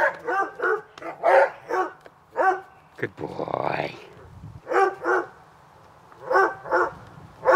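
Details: Two dogs, Hubert and Woody, bark while playing in a backyard on a summer afternoon. Bursts of barking come in quick runs, broken midway by a rough, scuffling noise before the barks resume.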